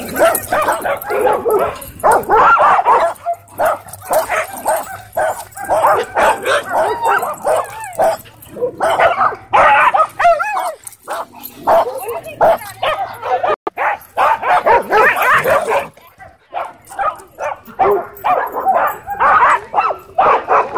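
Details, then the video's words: Dwarf Staffordshire Terrier and American Bully at a dog park, the terrier trying to boss the bully; dense bouts of loud, sharp barks and yips in rapid bursts, with brief whimpers and pauses near the middle. "Dwarf Staffordshire Terrier Tries To Boss American Bully At Dog Park"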